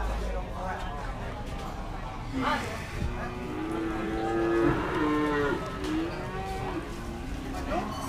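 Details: Cattle at the Kliwonan cattle market (Pasar Sapi Ngadiluwe) in Kediri, East Java, Indonesia, where Limousin and Simmental cattle are sold; a drawn-out harmonic moo rises midway through steady crowd chatter and market bustle.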